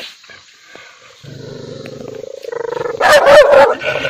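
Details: Angry dog, low rumbling growl building from quiet to loud, then breaking into a burst of two or three sharp, harsh barks near the end.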